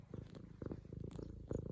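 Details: F2 Savannah cat, a female, purring loudly indoors while kneading a leopard-print pillow, excited after her owner returns home from work; steady low rumbling pulses with brief soft voice-like sounds over them.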